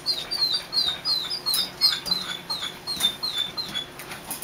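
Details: Three-week-old puppies inside a dog show trailer letting out thin, high squeaks that slide downward, repeated about three times a second, over a constant high electrical whine and occasional rustling.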